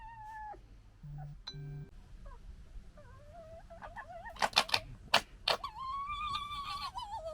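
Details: Red fox family squabbling with gekkering and fighting; a couple of low hums early on, then sharp loud clattering bursts followed by a long high wavering wail.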